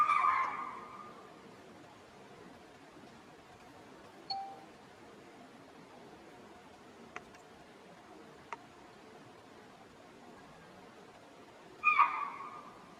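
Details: Alarm call of spotted deer (chital) in Tadoba Andhari Tiger Reserve, alerting the herd and neighbouring ungulates to danger as a tiger was near; two piercing single barks about twelve seconds apart, quiet forest and faint clicks between them.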